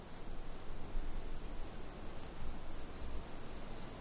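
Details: Summer night crickets giving bright, regular high chirps about three per second over a continuous piercing trill, faint low background rumble.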